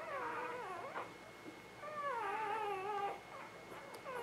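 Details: Spring 2017 newborn puppies (Ava Jericho litter) let out long, quavering whines, one stretched for over a second and sliding gently downward, followed by shorter plaintive cries, with a thin steady tone audible in the background.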